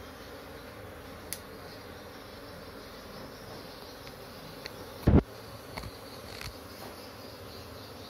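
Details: Honey bee; colony buzzing; agitated colony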